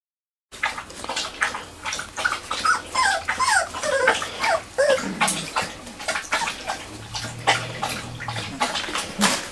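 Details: Three-week-old Wirehaired Pointing Griffon puppies of the "M" litter playing in a garage whelping box at Bluestem Kennels; high whimpers and yips with short rising and falling squeals, several pups overlapping, plus scratching and shuffling.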